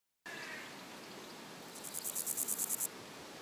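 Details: A meadow grasshopper (Chorthippus parallelus) gives a brief burst of quick, dry, high-pitched rasping chirps.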